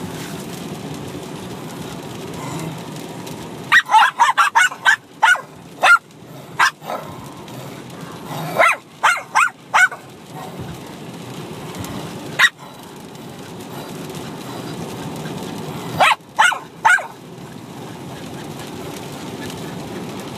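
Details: Two Bichon Frise dogs, a six-month-old puppy and an older dog, fighting and playing at once. Sharp barks in quick bursts of three to six, separated by short quiet stretches, over a low steady background hum.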